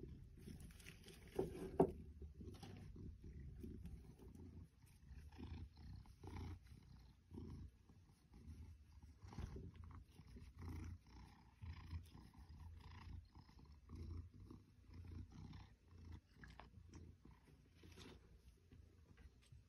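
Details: Ruby, an eight-year-old female Maine Coon, purring while rubbing against fake plants in a boy's room, enjoying being petted; a low, steady rumble with fast rhythmic pulses throughout, a brief sharp click near the start.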